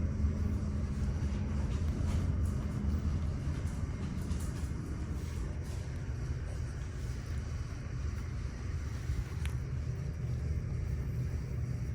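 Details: Steady low rumble of passing traffic, with a dense hum that stays mostly in the bass and no animal calls.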